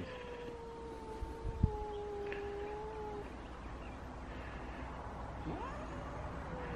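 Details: Two-year-old Elma, a small, easily scared 3.5 kg house cat, meets the large cat Kutvonen. A steady, moaning caterwaul holds for about three seconds and then fades. After a pause comes a short upward-swooping cry over a low background hum, with a single sharp knock.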